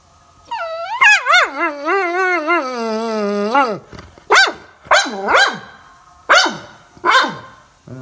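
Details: Labrador Retriever acting as a morning alarm: a long wavering, howl-like whine with vibrato lasting about three seconds, followed by five short, sharp yelps that rise and fall, with quiet pauses between them.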